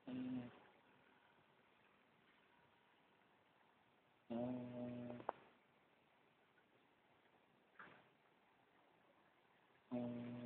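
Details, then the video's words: A sleeping female dog snoring: short, nasal, humming snores about half a second long, coming roughly every five seconds with quiet breathing between them, recorded indoors. "Dog snores"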